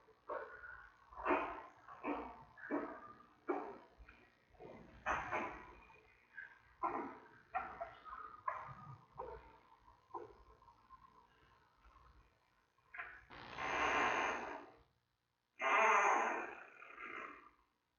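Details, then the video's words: Three-week-old giant panda cub in a zoo den, a rapid run of short squawking yelps, then two long loud harsh squeals near the end. "Baby Making Sounds"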